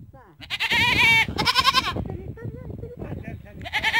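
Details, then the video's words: Goats in a barn giving harsh, tremulous bleats, two loud overlapping cries followed by quieter wavering calls and another rising bleat at the end, over muffled background rumble. "Goats sounds / stupid goats making stupid noises صوت الماعز"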